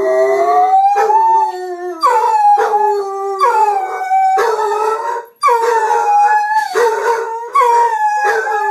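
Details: Gracie and Lilly, pet dogs at home, keep up a group howl alongside their owner: layered wavering howls restart about once a second, pitch swelling slightly and sliding, near-continuous throughout.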